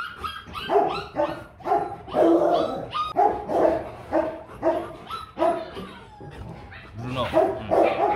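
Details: Rottweiler guard dogs, several animals including ones named Loki and Vin, barking in a dense run of deep, harmonic woofs repeated roughly every half second, with a person's voice and faint music in the background.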